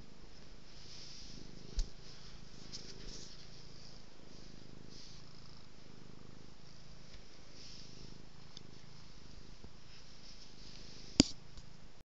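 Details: Petted cat rolling about gives a quiet, low, continuous purr, softer than handling noise, broken by a couple of sharp clicks and taps from movement nearby.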